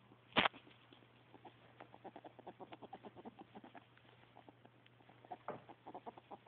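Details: Happy pet ferret, with another named Percy nearby and described as jealous, recorded indoors on a phone: a rapid run of soft, low clucking pulses, several per second, opened by one sharp loud click and closing with more bursts.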